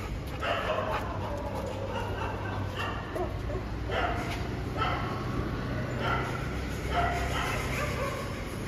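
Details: Labrador clashing with several street dogs; a run of rough, sharp barks and yelps repeats about once a second over constant low traffic-like rumble.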